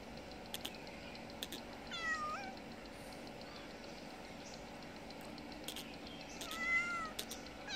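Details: Mother cat begging for food, nursing a little kitten and fed twice a day; two short, thin, high meows several seconds apart amid soft clicking and tapping sounds.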